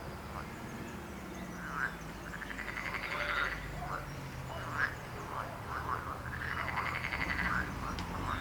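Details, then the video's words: Frogs call over a steady low rumble. Drawn-out pulsed croaks, one rising slightly, are mixed with short sharp clicks and a few single croaks from nearby callers. "Rechot żab. Croaking frog sound."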